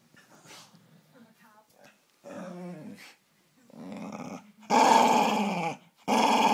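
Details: A female Staffordshire Bull Terrier, said to be always angry and easily annoyed in the mornings, follows a soft human voice with rumbling growls that swell into loud, harsh, rasping, drawn-out barking bursts.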